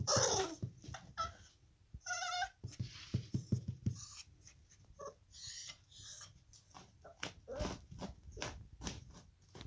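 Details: A Basenji puppy at play gives short, tonal yelps and warbling whines amid scuffling and thumping noises; recorded 29 February 2020.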